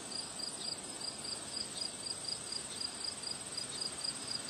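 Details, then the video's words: Crickets chirping on a windy day: a series of quick, high, even pulses about twice a second, with a steady shrill hiss above and broad wind rush below. "Relaxing Sound of Crickets Chirping on a Windy Day"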